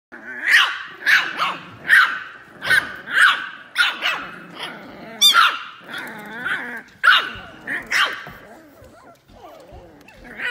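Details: French Bulldog barking in a rapid run of sharp, harmonic barks about every half second to second, mixed with growly yips and whines, easing into softer whimpering sounds toward the end.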